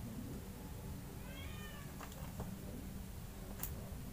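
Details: At night, as two kittens compete for milk, one kitten gives a single clear meow that slides gently downward, followed by a few soft clicks and taps over a constant low hum.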